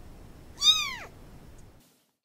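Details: A single high kitten meow, rising then falling in a drawn-out arc, followed by silence.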